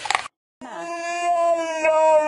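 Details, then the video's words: Pet dog 'talking' in a funny compilation, giving a long sustained harmonic howl-like moan with a steady tone that rises slightly after a brief gap, preceded by a short burst of other sound. "Funny Talking Dogs Compilation Talking Dog Videos"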